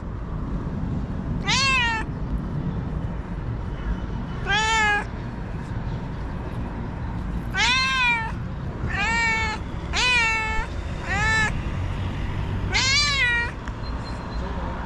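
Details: Domestic cat, a white female described as angry and nervous, meowing repeatedly: six strong harmonic-rich meows, each rising then falling, spaced about one to three seconds apart over steady low background rumble.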